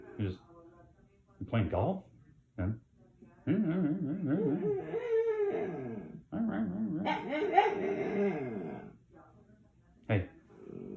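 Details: Whining dog named Pancho producing long wobbling, grumbling moans that swoop up and down in pitch, mixed with human speech indoors.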